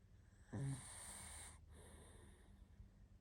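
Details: A tired pug named Barney, fast asleep, gives a single loud snorting snore lasting about a second, a harsh rushing breath that fades into soft, quiet breathing.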